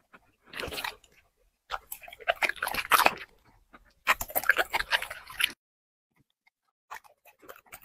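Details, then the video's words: A dog crunches through plates of chicken and vegetables, mukbang style. There are three short clusters of sharp biting and crunching separated by silences, and the last bite is faint. "dog eating 5 plate unlimeted chicken 🍗 vegetables mukbang"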